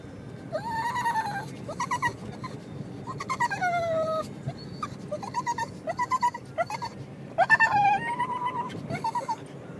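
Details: Pug riding in a car, making dolphin-like noises throughout the trip: bursts of high, squealing whines, several sliding downward in pitch, repeated in short runs with brief pauses, over a low steady engine rumble.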